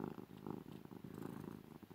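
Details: Female domestic cat purring loudly while being cuddled and snuggled indoors; steady low rumbling purr in rapid pulses with slight rhythmic swells, no other sounds.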